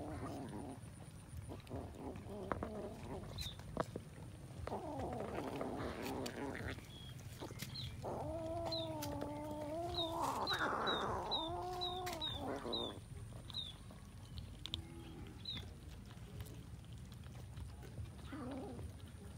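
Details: Cats eating rice with fish give a run of drawn-out, wavering meows with rich overtones in the middle stretch, some rising then falling. Clattering eating noises and short, high chirps sound throughout.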